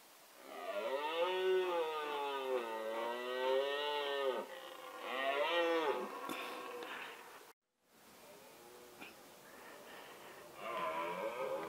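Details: A male red deer (Cervus elaphus) roars during the rutting season, giving long wavering bellows that rise and fall in pitch.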